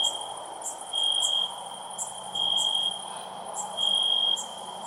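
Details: Loud cricket chirping: three drawn-out high trills, each about half a second, separated by gaps of over a second, with a continuous shrill background chorus and soft ticking.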